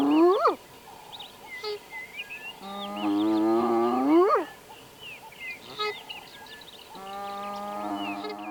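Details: Spotted hyena (Crocuta crocuta) in Addo Elephant National Park, South Africa, gives rising whoops, each climbing steeply in pitch with quiet gaps; a contact call possibly signalling to the clan that it was time to move on.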